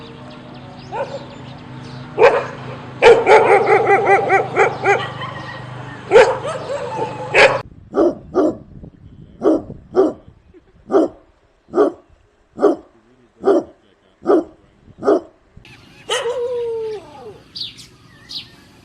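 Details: Dogs barking: several loud, rough barks over a steady low hum, then a regular series of single short barks, under one a second, ending in a drawn-out whining yelp.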